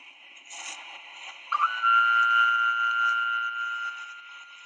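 A minke whale gives a long, steady, buzzing tone that hums on like an electric beam.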